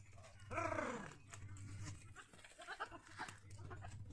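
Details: A goat on a goat farm near Pushkar, Ajmer, Rajasthan, India, gives one wavering, quavering bleat that falls in pitch, over a steady low hum.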